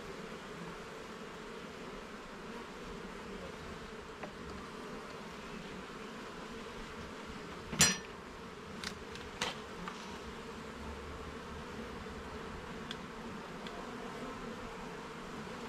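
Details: Honey bees buzz in a steady drone during a garden hive inspection, with a loud knock or scrape of equipment partway through, followed by a few smaller taps over the constant hum.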